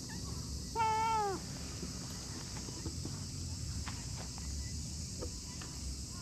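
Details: Plump orange-and-white stray cat resting on cool moss in a park lets out a single clear meow that bends downward at the end, followed by quiet outdoor background with faint scattered ticks.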